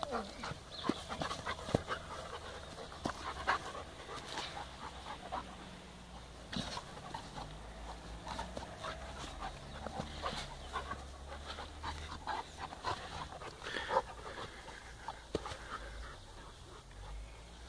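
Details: Two puppies, Balu and Diesel, play gently together on day 4. The clip is quiet and breathy, with scattered short, soft bursts of panting and scuffling. Faint low rumble runs underneath.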